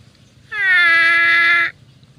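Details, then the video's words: Water buffalo from a grazing herd giving one loud, even, nasal 'uwwek' bleat about a second long, steady in pitch, rich in overtones, set against quiet low rumble. "Bunyi Kerbau | Suara Kerbau | Kawanan Kerbau"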